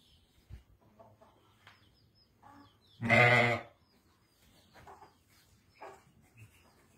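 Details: Sheep from a flock of seven ewes with a ram, west of Ramallah, Palestine: one loud, rough bleat of under a second stands out midway, surrounded by soft rustling and faint distant animal noises.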